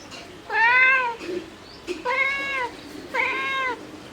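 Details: Domestic cat mother calling for her kittens with three drawn-out, arched meows spaced about a second apart, each rich in harmonics, in a quiet background.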